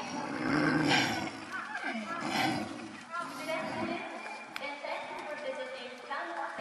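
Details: Snow leopards Shingis and Mayu at Tama Zoo, apparently just after mating, with Shingis still following Mayu and fighting a little roughly. Rough growling bursts rise near the start and again midway, mixed with steady chatter from visitors.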